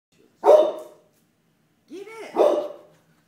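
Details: A pet dog barking at a floor mat: two sharp, loud single barks about two seconds apart, with a person's brief speaking voice between them and otherwise a quiet room.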